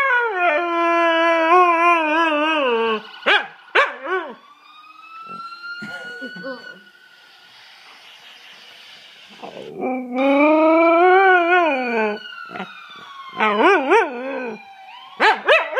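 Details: Tifa, a dog, howling: loud sustained wavering howls with rich overtones for about three seconds, a few short yips, a quieter stretch with a faint distant siren-like tone, then another long wavering howl and short yelps.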